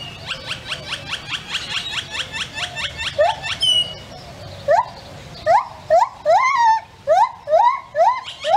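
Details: Billy, a male lar (white-handed) gibbon, gives his morning territorial call: a fast run of short hoots, then louder, sharply upsweeping whoops about once a second, with grackles singing in the background.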